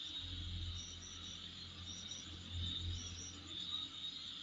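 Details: Insect chorus outside a home, a constant high-pitched buzzing drone with a few brief higher chirp bursts, over a noticeable low rumbling hum.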